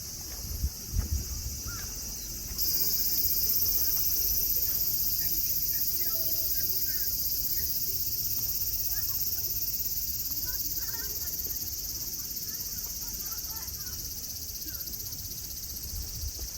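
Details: Nara Park cicadas in Japan, green hills and lawns with friendly deer; a shrill, unbroken buzzing chorus that swells louder after the first few seconds, with low thumps and scattered faint voices.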